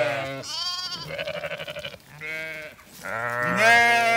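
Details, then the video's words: Zwartbles sheep on an Irish farm in County Kilkenny crowding after the farmer and an empty bucket once the rams had been fed; a rapid series of overlapping bleats, some quavering and pulsed, others higher and rising. "A demanding flock follows me & an empty bucket as I'd just fed rams"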